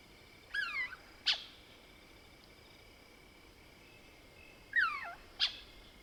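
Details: Lesser bushbaby (Mohol's bushbaby) at night in the Soutpansberg, South Africa, giving two paired phrases: a wavering, downward-sliding mewing squeak followed by a short sharp click-like squeak, with a thin continuous tone in the background.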